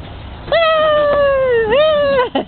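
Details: Six-week-old golden retriever puppies in a wheelbarrow give a long, steady, high whine that dips near the end, then rises again, followed by short yelps.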